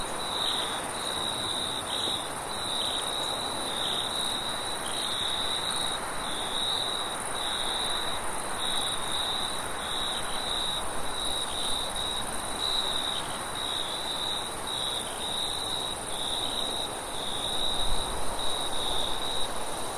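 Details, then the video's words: Crickets at night trill in a constant high ringing stream, broken into slight pulses, over wind noise and a low distant rumble that builds near the end. "Crickets and wind sounds at night"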